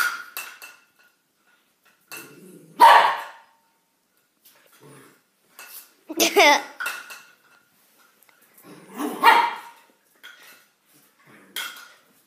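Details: A frightened dog, startled by something, gives three loud harsh barks spaced about three seconds apart, with quieter yelps and a person talking between them indoors.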